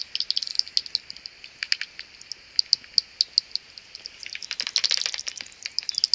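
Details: Early-morning swarming of common pipistrelle bats near their maternity roost just before sunrise: sharp high ticks spaced a few per second, then a dense flurry of rapid overlapping clicks near the end.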